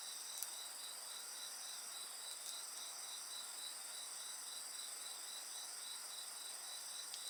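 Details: Insects singing beside a crackling bonfire: a steady, shimmering high trill with a rapid pulsed band, continuous throughout, with occasional sharp pops and snaps from the fire.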